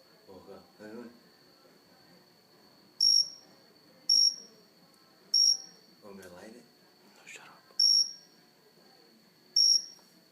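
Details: Indoor cricket sitting on a house plant, close range: five brief, piercing chirps at uneven intervals of one to two seconds, with people murmuring and talking softly between the calls.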